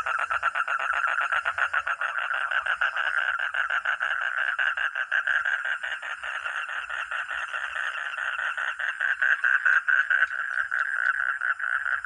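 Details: Frog or toad calling in a steady, loud chorus of rapid, rattling pulses at mid pitch, several pulses each second running without a break for the whole stretch, with no other clear sounds.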